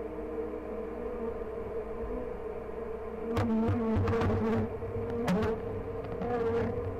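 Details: Honey bee colony opened for inspection at "The Mountain", 22/6/29, hives heavy with honey and brood of all stages; an even, humming buzz that swells louder for a couple of seconds amid scraping and knocking of equipment.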